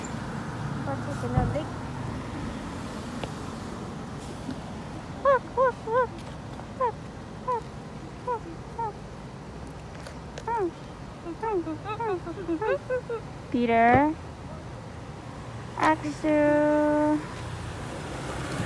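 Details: Stray cats in town making a run of short, repeated mews and chirps, several a second at times, ending in two louder drawn-out meows; a person talks nearby and traffic hums behind.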